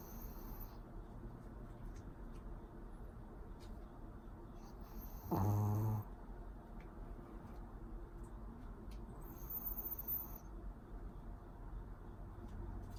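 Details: A sleeping pet Pomeranian named Pori gives a single low, throaty snore lasting under a second midway through, with steady faint room noise before and after.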